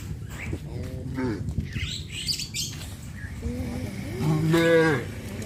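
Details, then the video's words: Farm cows in the evening as a farmer leads them to the pen, giving a short moo early on and then a louder, rising-falling moo near the end, with small bird chirps over a steady low hum. "Sound of cows"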